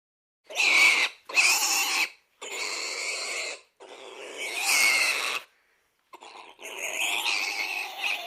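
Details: Pig giving loud, harsh, shrill squeals in about five bursts of one to one and a half seconds each, separated by brief silences, with a longer squealing run at the end.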